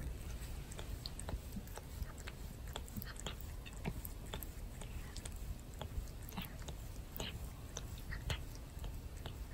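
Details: Cat Torapachi licking and grooming its owner indoors, possibly stress relief after a fireworks festival; quick scratchy, smacking licks in an uneven run over constant low background hum.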